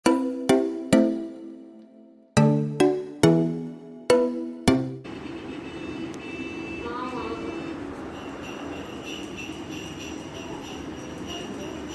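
Loud piano-like notes struck in a quick series, then a steady hum of traffic with no animal sounds.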